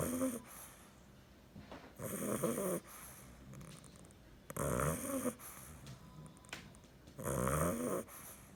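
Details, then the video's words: Sleeping bulldog puppy, nine weeks old, gives harsh, rattling snores lasting under a second each, spaced about two and a half seconds apart, with soft wheezy breaths in the gaps, indoors. "Bulldog puppy snoring"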